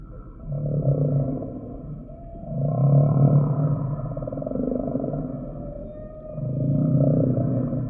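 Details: Humpback whale song: deep, droning moans swell and fade in three long phrases, each a low buzzy tone with richer upper layers, separated by brief quieter gaps.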